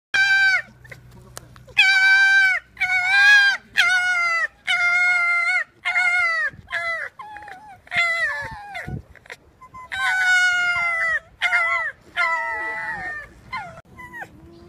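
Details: Fox giving a rapid series of about a dozen loud, harsh, harmonic barks, mostly in short bursts with brief pauses, each note slightly wavering in pitch, against a quiet background with a faint low hum early on.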